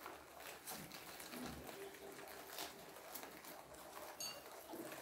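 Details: Guinea pigs nibbling on kohlrabi indoors: a dense run of soft, crisp crunching clicks, quick and irregular, with a few louder bites standing out against a quiet room.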